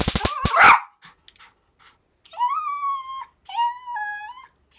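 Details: Nine-year-old dog, excited and trying to get its paws on a taser: a sharp burst, then two drawn-out, high, nearly level whines about a second each, separated by a short gap.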